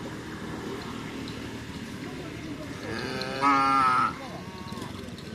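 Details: Racing cattle at a karapan sapi bull race training ground in Asemanis, Pamekasan, Madura, Indonesia: one strong, harmonic moo lasting under a second, steady then falling at the end, against crowd murmur and background noise.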